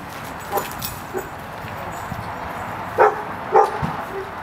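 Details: Belgian Malinois, a medium-sized dog up for adoption, recorded 7 March 2011 in the afternoon: two sharp barks about half a second apart, with a few fainter yips before them. Steady background noise and brief speech are also heard.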